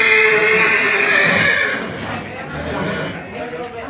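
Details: Racehorse at Takengon, Gayo, Indonesia, during height measurement two days before the traditional Gayo horse race, giving a loud, drawn-out whinny that slides downward for nearly two seconds, followed by voices and crowd murmur.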